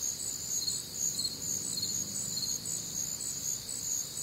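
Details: Night chorus of crickets recorded on a humid, warm Midwestern summer night, pulsing high chirps repeating roughly twice a second above an unbroken ringing trill, even in loudness throughout.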